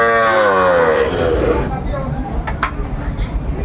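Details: Sahiwal bull at a Brahmanbaria cattle market, 31 May 2024, giving a harmonic moo that slides downward over about a second and a half, then fades into crowd chatter and bidding voices.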